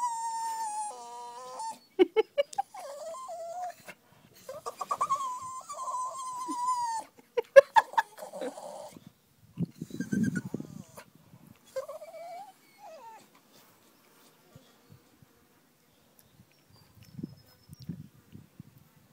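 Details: Female ten-month-old Staffordshire Bull Terrier sooking like a baby because she hates being tied up; high whistled whines and yelps, some wavering and stepped, then quieter snuffling sounds and long silences.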